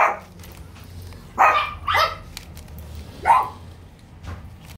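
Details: French Bulldog at a breeder, available to view until 6 February: three short, high, rising yips spaced a second or two apart, separated by quiet low hum.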